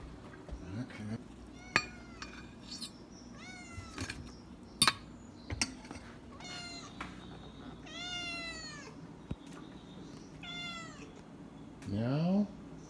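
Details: Jimmi J, a domestic cat, at dinner time in a home shared with Boxer dog Kandy. It gives about six drawn-out, arching, harmonic meows spaced a second or two apart, with dishes and cutlery clinking and a person calling to it.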